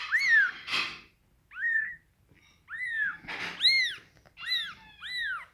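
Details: Scottish Fold kittens, in a litter of fold-eared and straight-eared kittens with rare coat colours, giving thin, high-pitched arched mews that rise then fall, about seven in five seconds, broken by two short rustling bursts.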